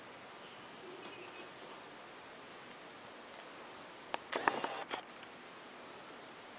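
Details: A quiet indoor room with steady background hiss and a short burst of rustling and soft knocks near the middle; no animal calls are heard.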